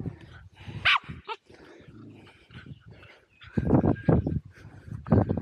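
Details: Two Welsh Terriers, Zorro and Zula, romping at Torgo Talu Guesthouse & Farm in Estonia, shot on an Insta360 Go2: loud gruff barks and growls in heavy bursts, with a high yip early on and handling noise.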